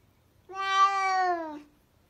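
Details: Domestic cat giving a single clear meow lasting just over a second, steady and tonal with a slight downward slide as it fades, in an otherwise quiet indoor setting.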